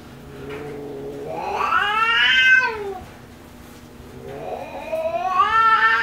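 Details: A spayed female tabby cat, aggressive toward outsiders since being spayed, throws a fit with long, drawn-out yowls that swell upward in pitch and then sag.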